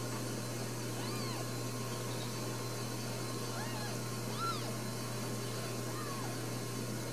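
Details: Four newborn Ragdoll kittens at a home cattery in central Kansas, with another possibly on the way, give thin, arched mews around seconds one, four and six. A steady low hum runs underneath throughout.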